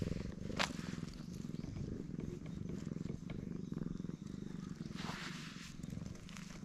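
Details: Black stray cat enjoying being petted, recorded with a GoPro HERO8, gives a loud continuous low purr throbbing in repeated breath cycles, with two brief hissing rustles of movement near the start and end.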